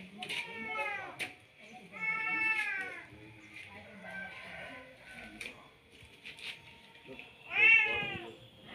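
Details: Male domestic cat meowing to call a female: three drawn-out, harmonic meows with gaps between them, the last one loudest and rising, over faint background voices and household noise.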